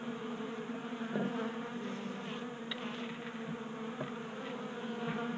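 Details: A crowd of honey bees feeding on a 3D-printed feeder on a Colorado garage workbench during a mild January; thick, unbroken buzzing with a swelling pass of a nearby bee and scattered light clicks.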